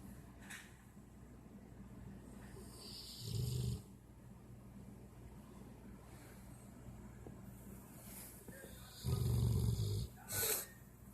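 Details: Sleeping dog snoring: three low, rough, rumbling snores, two longer ones a few seconds apart and a short final one, with faint breathing and a quiet background between them.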